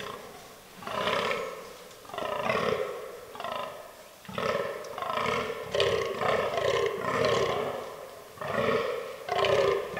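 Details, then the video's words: Rutting fallow deer buck groaning in an autumn forest: deep, belching, pulsed groans, each about a second long, repeated in a steady series with brief pauses between them. "Fallow Deer Rut 2022"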